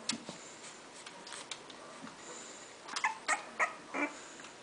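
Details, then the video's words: English Bulldog puppies, one of a litter of six (four female, two male), indoors: faint clicks and shuffling, then about four short, high, squeaky whimpers in quick succession near the end. "English bulldogs puppies"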